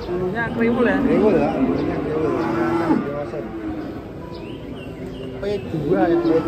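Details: Giant cattle being unloaded from a truck in Indonesia, lowing in drawn-out, wavering moos that rise and fall, overlapping one another, with people talking and a busy background throughout.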